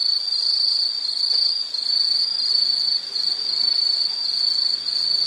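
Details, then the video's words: Insect chorus with a steady, shrill high trill held without pause, pulsing slightly in loudness, over a faint hiss of background noise. "Nature Sound of nature sounds scenery L · insect"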